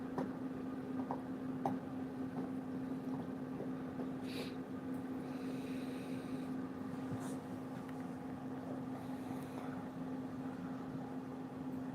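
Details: A constant low hum continues with faint scattered knocks and brief soft noises, but no clear barking or other animal sound comes through.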